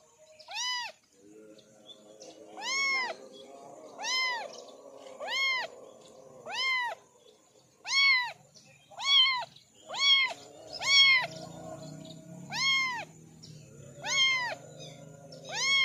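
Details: A family of four orange kittens give high, thin meows, each arching up then down, repeated about every second.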